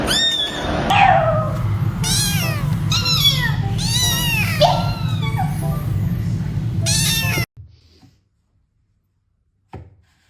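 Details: Domestic cat meowing indoors in a rapid run of drawn-out, harmonic meows that rise and then fall, about six in seven seconds, over a steady low hum, followed by near silence.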